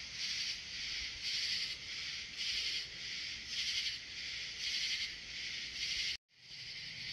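A katydid gives buzzy, high-pitched rasping bursts, repeated roughly every second.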